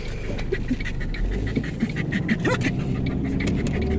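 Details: Dog making short, rising squeaky whines scattered through the clip, with breathy panting, over a steady low rumble like a running vehicle.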